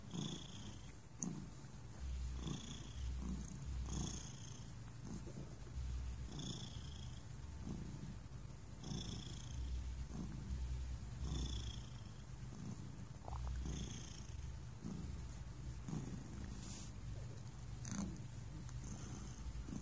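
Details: Relaxed domestic cat purring steadily, a low continuous rumble with a soft rhythmic in-and-out pulse throughout, plus faint light rustling and a thin steady background hum.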